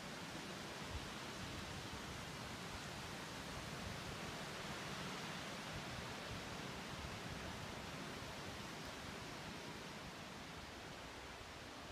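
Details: Steady broadband hiss like rushing water or wind noise, with no animal calls heard. The rush holds at an even level throughout and nothing else stands out.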